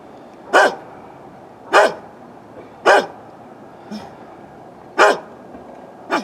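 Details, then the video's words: Barking from an old dog next door, recorded on a Canon Vixia HF R800: five loud, abrupt barks about a second apart, each with a falling tail, plus one softer bark in between. "Dog Barking"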